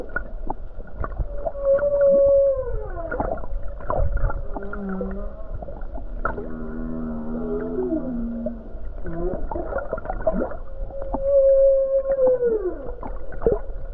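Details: Humpback whale song recorded off the Hawaii coast on a calm day with numerous whales nearby: sustained moaning tones, a long level note bending downward, and low stacked rumbling units, with a faint steady background hum.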